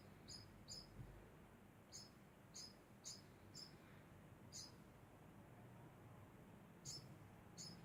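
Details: Degu making a constant sound: short high squeaky chirps, often in quick pairs, repeated irregularly across eight seconds over a faint low hum.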